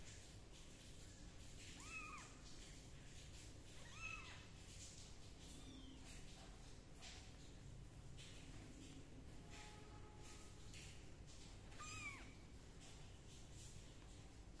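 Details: Three short, high kitten meows spaced a few seconds apart while the kittens are towel-dried and given a gentle hair dryer, set against a constant low hum and faint rustling.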